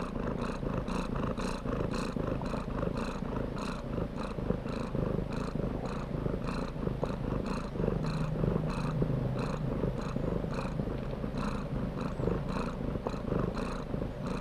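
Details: Kitten purr, a continuous low rumble pulsing evenly about twice a second for the whole stretch, with no other sounds.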